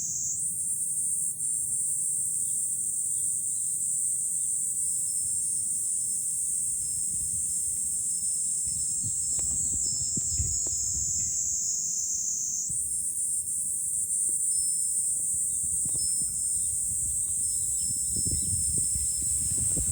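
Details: A July cicada chorus from a high vantage point above Fukuoka City, Japan. The unbroken shrill buzz shifts slightly in pitch about two-thirds of the way through, with gusty low rumbles of wind underneath.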